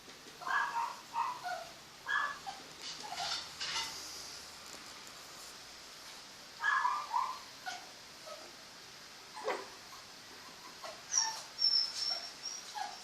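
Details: Home-raised mini pocket apple-head Chihuahua puppies in Monterrey, Nuevo León, Mexico, giving thin, high squeaky whimpers and yips in short clustered bursts separated by quiet pauses, with a faint whistle-like tone near the end.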